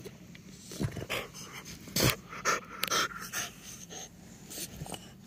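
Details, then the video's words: Playful pet French Bulldog Timber rolling about on couch blankets after his owner comes home, panting and snorting in quick irregular puffs, mixed with soft rustling. "funny frenchie playing & rolling on couch"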